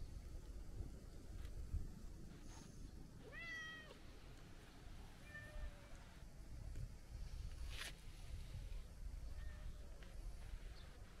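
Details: Talkative long-haired tabby-and-white cat at the seaside being petted, letting out one clear rising meow and a quieter short mew, with faint clicks and low background wind noise.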